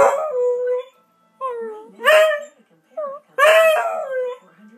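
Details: A Beagle howls in five drawn-out, wavering tonal cries separated by short pauses. Some are brief, others stretch to nearly a second, and the loudest swell up and then slide downward with rich overtones.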